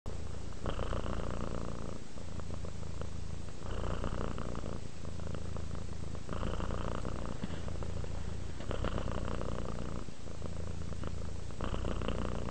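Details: {'caption': 'Relaxed domestic cat purring steadily, a deep continuous rumble broken into breathing cycles: louder rasping segments alternate with brief softer pauses roughly every one to two seconds.'}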